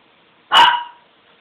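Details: Single sharp bark from a pet dog being teased, abrupt and harsh, fading quickly into silence.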